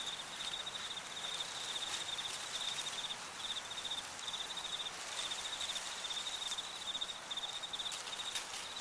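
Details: Crickets in an autumn cornfield give a steady, high, pulsed chirping that repeats in short bursts, with brief gaps. A soft hiss of wind and rustling corn leaves runs throughout.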